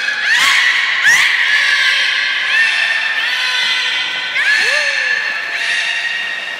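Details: Captive beluga vocalizing during the 16:00 public training at Port of Nagoya Public Aquarium on 4 November 2018: loud, overlapping squeaky tones with rich overtones, quick upward sweeps and one falling chirp near the end.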